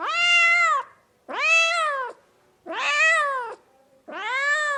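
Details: Loud, insistent house cat meows: four long, rich calls that rise sharply, hold level, then drop off, each lasting close to a second with short pauses between.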